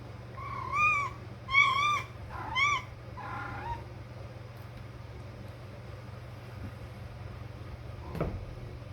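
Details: A house cat making playful calls to start a game: a quick series of four rising-and-falling tonal mews, fading in strength, then several seconds of low hum with a single sharp click near the end.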